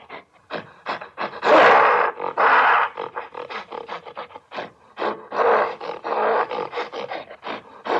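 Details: Gorilla in an angry mood, giving rapid, rough grunting pulses broken by two longer raspy roars, with short pauses between the bursts.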